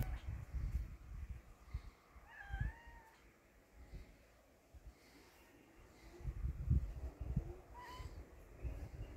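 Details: Cat with a brave kitten that is not afraid of it: two clear mewing calls, the first bending up then down, the second short and later, over heavy low rumble and shuffling noise.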